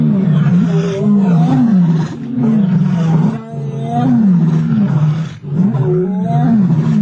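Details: Two male lions snarling as they wrestle over a kill on African safari: a continuous, low, wavering growl with rhythmic surges about once a second and a few short dips in loudness.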